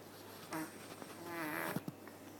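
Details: Sleeping cat in a cat cafe snores softly, one short rasping breath then a longer rising wheezy breath, ending with two quick soft knocks amid a low room hum.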